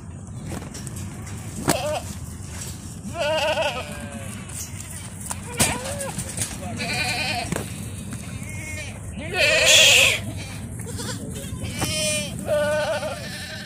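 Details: Bishi goat herd, 60 adults with 30 kids, coast north of Al Qunfudhah, Saudi Arabia; scattered wavering bleats from several goats, mixed with a man talking, clicks and background hiss.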